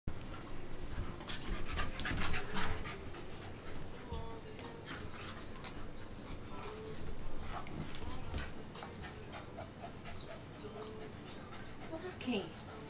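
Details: Two tri-colour Pembroke Welsh Corgis play fighting indoors, not hurting each other: steady panting and scuffling, with brief high whines and short yips scattered over a constant low background rumble.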